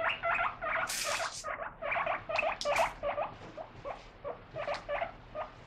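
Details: Domestic guinea pig, excited by lettuce being washed, gives paired squeaky chirps in quick rhythmic clusters, with a brief hissing burst early on.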